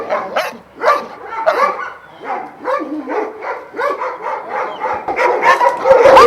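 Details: Kennel of twelve Vujanski-line Šarplaninac dogs in Jasika, near Kruševac; separate rough barks and higher yelps from a few dogs, spaced unevenly, building into louder overlapping barking and clatter at the close.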